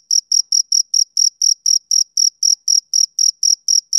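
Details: Rhythmic chirping from a male cricket on a summer evening: regular shrill pulses, close to four per second, clean and steady throughout with no other sounds.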